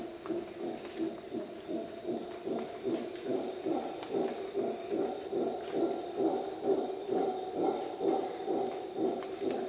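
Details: Howler monkey at dawn in Costa Rican rainforest: a deep, pulsed roaring chorus throbbing about twice a second for the whole stretch, set against a steady high-pitched insect drone.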